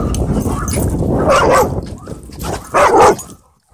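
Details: Dogs at play, wrestling at a dog park, give two loud, sharp barks about a second and a half apart, over rumbling low scuffling sounds and a person speaking, ending in quiet.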